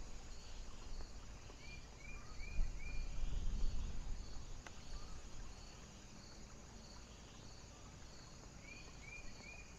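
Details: Cricket calling on a foggy night in heavy wind: faint, high, evenly spaced chirps about twice a second under a loud low wind rumble, with a few rising whistled notes from another animal.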